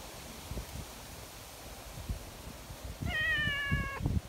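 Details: Friendly female tabby community cat being coaxed onto a bench: one clear, level, drawn-out meow lasting about a second near the end, with footsteps and rustling before it.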